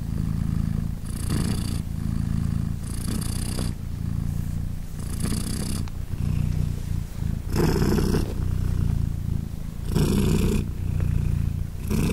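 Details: British Shorthair queen purring as her three newborn 3-day-old kittens nurse beside her; a sustained deep rumble broken into regular breathy pulses, one roughly every second or so, steady in volume throughout.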